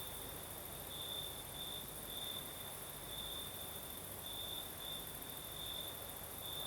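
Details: Crickets chirring through the night in Crimea's south with a gentle breeze, one sustained high trill pulsing in louder stretches about every second, backed by a bright hissing layer and soft low noise.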